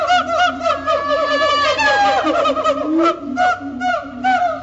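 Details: Siamang duet song at Riverbanks Zoo just after Christmas, marking territory: dense, rapid barking over low booms, climbing into a shrill rising run before falling back to spaced barks and hoots.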